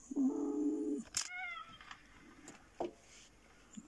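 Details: A domestic cat, one of two indoors (a black cat named Sooty and a black fluffy cat), gives a steady, level meow lasting about a second, then a few soft clicks and faint room noises follow.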